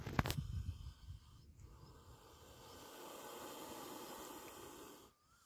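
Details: Spectacled cobra, a venomous snake, giving a long, breathy broadband hiss that swells from about two seconds and holds steady before cutting off near the end, after a brief loud rustle at the start.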